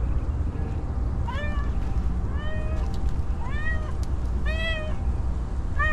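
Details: Very hungry homeless female cat that has gone long without food, meowing five times, rising then falling harmonic cries about a second apart, with a steady low rumble underneath.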